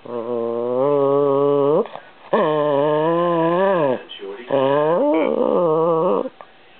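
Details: Peanut, a pet Chihuahua indoors, arguing with a camera: three long drawn-out harmonic growling whines, each nearly two seconds, rising and falling slightly, loud and close, with brief gaps between.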